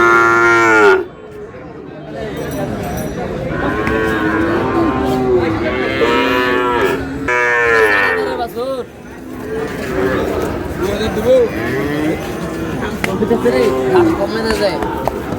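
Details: Sahiwal cattle calves at a crowded market where a Dhaka farmer buys, 16 March: repeated lowing moos, several drawn-out harmonic calls spaced a few seconds apart, with bargaining voices and crowd noise around.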